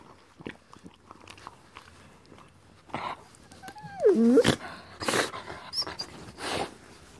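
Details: Rottweiler mix enjoying a teeth cleaning from his brother, a miniature Doberman mix, indoors: wet licking and chewing clicks through the clip, then a brief wavering whine near the middle, followed by sharper smacking bursts.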